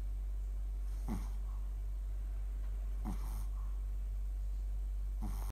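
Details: Shih Tzu dog snoring in its sleep, with raspy, breathy snore bursts repeating about every two seconds, each a short sharp snort trailing into a softer exhale, against a constant low background hum.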